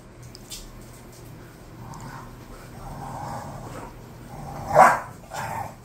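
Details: Bulldogs Khan and Ali, two pet dogs described as bored, with one sharp mid-pitched bark near the end after faint, low grumbles, followed by a softer second bark and steady low background hum.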